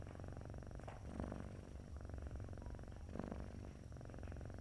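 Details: Domestic cat asleep and purring, a snore-like sound: continuous deep vibrating rumble, breaking into louder breathy bursts at about one-second and three-second marks, no other sounds.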